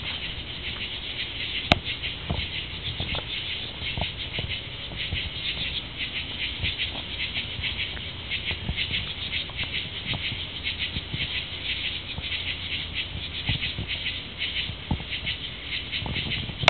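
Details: Tree frogs calling together in a dense chorus: a continuous high pulsing trill of many overlapping voices, steady throughout, with scattered clicks and a low background rumble.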